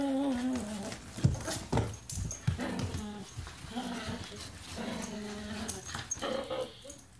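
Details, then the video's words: {'animal': 'dog', 'text': 'German Shepherd mix and Miniature Pinscher fighting over a toy indoors, with continuous low rumbling growls, higher whining snarls and scuffling noise throughout.'} "Dogs fighting over toy"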